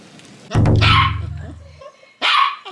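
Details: Pampered Chipoo, a Chihuahua-Poodle mix, playing on a rainy day gives a loud, sharp bark with a ringing tail, followed by a second burst; music plays throughout.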